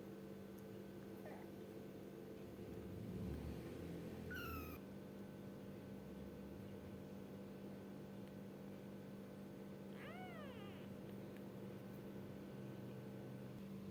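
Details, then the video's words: A kitten called gembul gives a faint early squeak, a sharp high meow near four and a half seconds, and a clearer arching meow at ten seconds; a low rumble and steady hum run beneath. "baby gembul meow"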